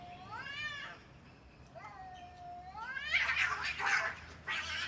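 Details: Cats fighting: a long wavering yowl rising and bending over half a second, then a drawn-out falling-level moan, followed by harsh, noisy hissing and spitting bursts in the last two seconds.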